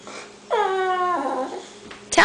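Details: Boxer named Axel indoors, whining to go out to the garage where his owner's husband is, not needing to pee: one long drawn-out tonal whine, steady then sliding down, with a short sharp sound at the end.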